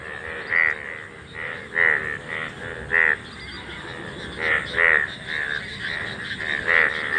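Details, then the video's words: Golden frogs in an Indian field, a sight of once a year, croak in loud short bursts at uneven intervals, several voices overlapping, with a constant faint hiss behind. "মাঠে সোনা ব্যাঙের ডাকাডাকি"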